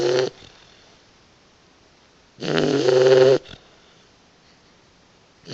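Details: A napping Boxer puppy snores with rough, rasping breaths, one brief at the start and a longer one near the middle lasting about a second, separated by quiet pauses, with another starting at the end.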